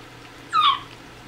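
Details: Miniature dachshund at feeding time beside a litter of four-week-old puppies eating rice cereal with canned food. One short, clear whine, steady then slightly falling, stands out over a quiet indoor hum.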